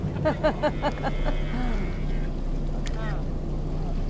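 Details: Sea lions in South America, close to a boat: a run of rough, harmonic barks repeated quickly through the first second, then a steady low engine hum with voices nearby.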